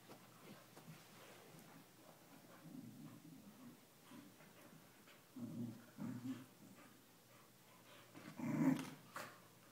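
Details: Two corgis, Shelby and Jonah, playing, necking and kissing; low, rumbling growls come in short bursts, swelling to a louder grumbling growl near the end, with quiet shuffling between.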